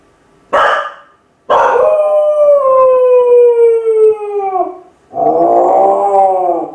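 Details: Kai Ken named Ichi, a pet dog left home alone for about fifty minutes, crying throughout: a short yelp, then a long tonal howl sliding slowly downward for three seconds, ending in a harsher, rougher wail.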